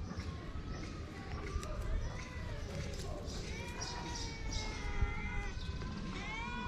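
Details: Feral street cats, a mother cat and her shy kittens, heard as a cluster of thin, drawn-out meows mostly in the latter half, some overlapping, over steady low rumbling outdoor noise.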